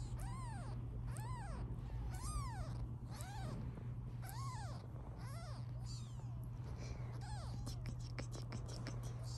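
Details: British Shorthair kittens, 16 days old, one of a litter of five in blue, colour point, black and lilac born to a black cat at home: a steady series of high arched mews roughly every half second, over a constant low hum.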